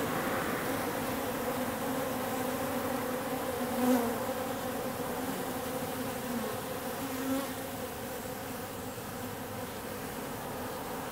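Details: Wild bee swarm on a wall in an industrial district around October 14, workers mixed one for one with drones; a constant low droning buzz with faint harmonic lines and brief louder passes of single bees.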